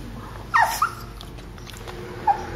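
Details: Anxious small dog, Boston terrier Mimmo or petit brabançon Dédé, at a vet clinic waiting room; a sharp high whining yelp with a quick second note, then a short faint whimper two seconds later, against soft background hum.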